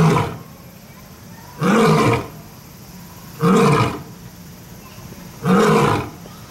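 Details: A big cat at Kyoto Zoo, either a lion or a tiger, gives three deep, rough roars, each about two seconds apart.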